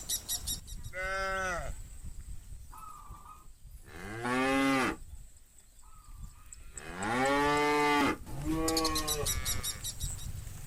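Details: Tame cattle in a large green countryside field in the afternoon, as bulls call the herd back to the farm pen. Several loud, rich, sustained moos from different animals, some long and wavering, with quieter short lowing between and faint rattling.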